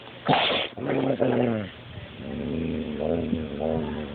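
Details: Beanpole, a coonhound, guarding his steak bone when someone comes too close: a sharp burst, then drawn-out, moaning, harmonic grumbles rising and falling over several seconds, indoors with faint background hiss.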